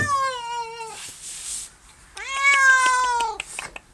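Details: Barn cat, recently adopted and just starting to accept petting, gives two drawn-out meows about two seconds apart. The first slides gently downward; the second starts low, rises, and then tapers. There are faint clicks and rustling between them.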